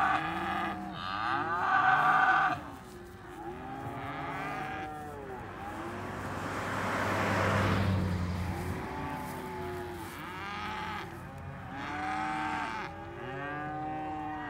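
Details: Several cows mooing in a chorus of drawn-out, arching lows, one loud bellow early, with a burst of broadband noise midway and more overlapping moos after.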